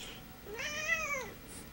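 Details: House cat meowing indoors while being shaken for fun: a single clear, arched meow rising and then falling, about one second long, in a quiet small room.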